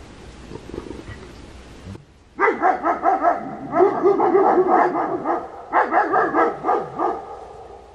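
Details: German Shepherd on night watch guarding its family's property in Slaughterville, Oklahoma, captured by a game and security camera. After a low rumble, loud harmonic barks come in rapid bursts, two or three per second, with a short pause near the end before barking resumes.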